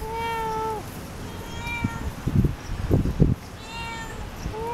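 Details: Cat meowing back and forth with its owner: a clear, drawn-out harmonic meow, then a person's low voice in between, then further meows at the end.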